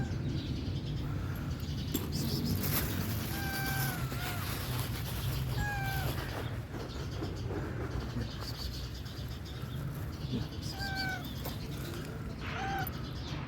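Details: A hungry young tabby stray cat meows in short, steady, harmonic calls around four and six seconds and again near eleven and twelve seconds, while birds nearby call in protest over a constant low background rumble.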